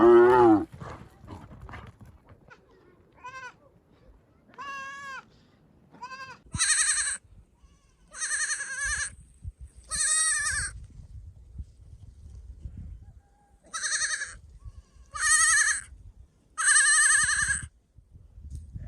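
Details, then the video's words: Bleating sheep or lambs: a rough opening cry followed by about ten short, tremulous, nasal bleats spaced one to two seconds apart, some bright and high-pitched. "sounds of sheep , Sheep Sound , lamb noises"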